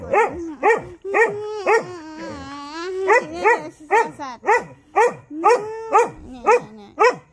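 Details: Early-morning howling from dogs, one a little female called SoRA, set off by a siren alarm: quick rising yelps roughly twice per second, with a longer wavering howl in the middle.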